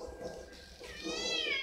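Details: Over-excited pet cat indoors giving one long, loud meow that rises and then bends down in pitch, preceded by a brief softer murmur.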